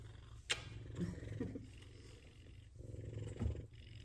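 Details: Two F2 Savannah cats purring while being petted and giving affection, a low, steady rumbling purr throughout with a few soft clicks and rustles.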